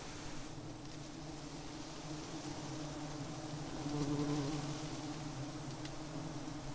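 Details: Giant honey bees making a continuous low droning hum, swelling slightly in the middle, with steady background noise throughout.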